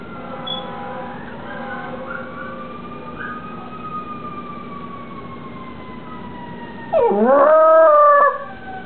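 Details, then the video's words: A pet Cairn Terrier howls in long, smooth, drawn-out tones that rise slightly then slowly fall, with a second dog in the background; near the end a louder burst of wavering, overlapping howls breaks in. "MY CAIRN TERRIER HOWLING"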